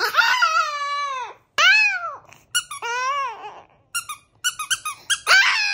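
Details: Indoor Chihuahua howls: two long, arching cries that rise and then fall in pitch, followed by a run of short, squeaky yelps and a final rising wail.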